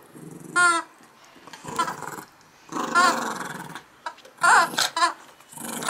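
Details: Morning play session with Max, a yorkie-schnauzer mix dog: rough growls broken by sharp, high squealing yelps, in uneven bursts about once a second, indoors with faint handling noises and a person urging him to let go.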